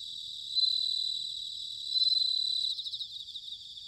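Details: Autumn song of bell crickets from Sanuki, Chiba Prefecture, Japan: two bright ringing trills swell up and fade, each under a second, then quick pulsed chirps repeat over a continuous high insect chorus.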